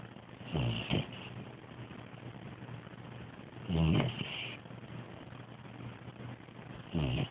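A Bloodhound puppy snores with low, rumbling breaths about every three seconds.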